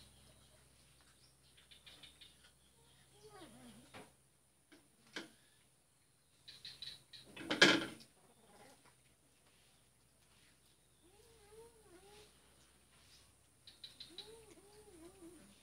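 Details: Two cats in Kuala Kapuas, Central Kalimantan, Indonesia, on Jalan Kolonel Sugiono, Sunday 2 December 2018, a male letting the female eat first; short arched meows come in clusters late on, with a loud knock midway and high bird chirps.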